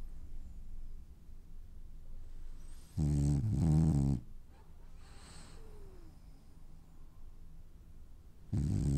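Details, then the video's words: Dreaming French Bulldog lets out a double snore, two quick rasping pulses near the three-second mark, then soft breathing before a further snore begins at the end. "Snoring French bulldog has dreams"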